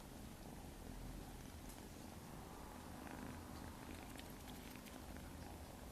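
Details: Maine Coon kittens, nine weeks old, purring indoors: a steady, low, rumbling drone that runs unbroken through the whole stretch, with faint soft rustles above it.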